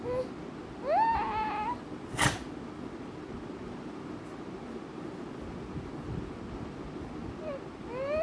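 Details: American Bully dogs Mikku and Ami indoors in a small room: high, rising, harmonic whines in a quick run near the start, a sharp knock, then more rising whines at the end over steady room hum.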